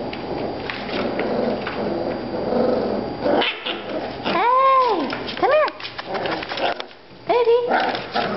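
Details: Miniature Australian Shepherd puppies, five weeks old, learning come, sit and shake indoors; after a stretch of chatter, loud bowed yelps ring out in short bursts, separated by brief pauses and more voices.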